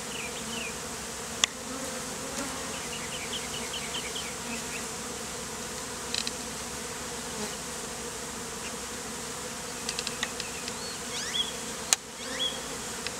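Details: Honey bees clustered as a bee beard on a man in the heat, bees recently hived out of a statue; a steady low droning hum with layered bands, brief high chirps of birds and scattered clicks above it.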